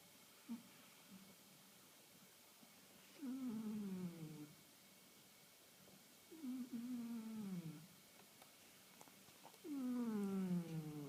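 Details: Asleep female house cat, one and a half years old, who has recently begun snoring daily: three drawn-out, tonal, downward-sliding snores, each about a second long, repeating roughly every three seconds with the breath in a quiet room.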